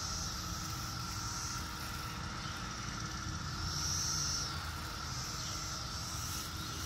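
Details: Cicadas in 2021 give a steady, high, hissing drone over a low background rumble, heard outdoors while cats hunt for cicadas to pounce on.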